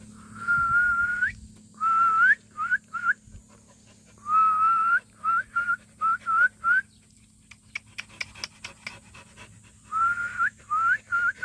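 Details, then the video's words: Purebred black Jindo dog giving high, thin whines that rise at their ends, in long drawn notes and quick short bursts of two to four, several per second. A run of sharp clicks interrupts them midway, then the whining resumes. "진돗개 순혈 흑구"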